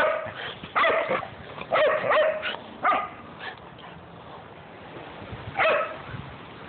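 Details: Dogs in a household with a Great Dane, a Jack Russell and a golden retriever mix. Sharp single barks come in short bursts, two close together near the start and one more later, with quiet gaps between them.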